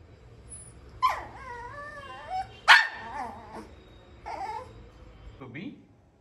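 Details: Shih Tzu puppy at home during its daily routine with a new toy and a waterless bath; high wavering whines rise and fall, broken by a few short sharp yelps, while a person speaks and calls to it.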